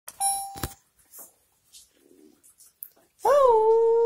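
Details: A family dog indoors at home: after a few soft knocks and household clatter, a loud steady howl begins, briefly rising then holding one even pitch to the end.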